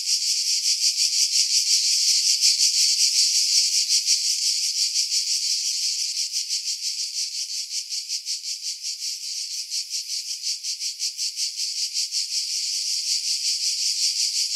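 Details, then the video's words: Cicadas singing in pine trees about 50 m above the sea at Pefkos Bay, Skiros Island, Greece, in July 2018, recorded with an external mic; a dense, high buzzing drone pulsing about three times a second, with no other sounds. "Cicada Sounds, July 2018 Skiros, Greece"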